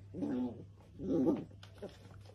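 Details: Miniature dachshund, a sausage dog, playing indoors: two drawn-out growling, whining vocalisations, each about half a second long, rising and falling with a rough, harmonic tone. A short soft yelp follows, over a steady low hum.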